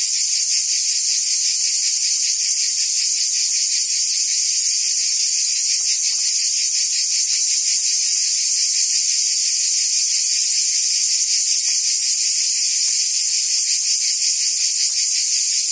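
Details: Unbroken high, hissing drone of cicadas in forest trees, steady in loudness, with a faint quick pulsing beneath the bright upper buzz and no other animals or voices standing out.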